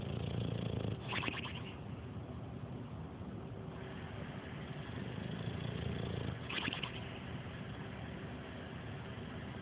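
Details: A 7-year-old male English Bulldog, asleep on his back on the couch, snores loudly in low, rumbling breaths that swell and fade every few seconds.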